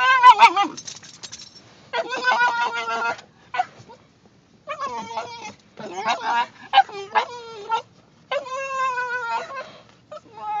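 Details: A male Basenji yodels in warbling, rising and falling bursts during a car ride as the car stops, urgently asking to be let out for a potty break.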